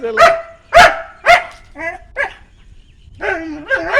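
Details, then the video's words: Three loud dog barks in quick succession, followed by softer whining, yodel-like calls that waver up and down in pitch. "Funny Dog"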